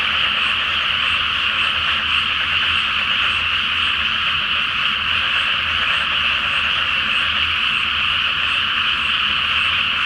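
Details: Flooded rice paddy at night before planting, full moon overhead: a great frog chorus forms a constant, even, buzzing croak of many overlapping callers, steady from start to end, with a quiet low rumble behind it.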